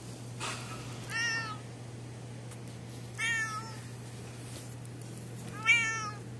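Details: Orange cat at a snack bar in an alley, noted for a weird-looking mouth, gives three drawn-out harmonic meows about two seconds apart, each slightly falling, over a steady low hum and background rumble.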